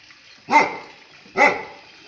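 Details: Dog likened to a lion, giving two deep, forceful barks about a second apart, each with a sharp onset and fading tail, in an otherwise quiet setting.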